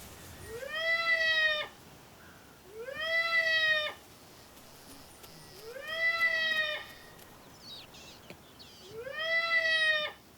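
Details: A baby seal's distress call, four long, wailing, meow-like cries, each rising then holding steady, is played from a speaker in a playback experiment on female meerkats in the Kalahari.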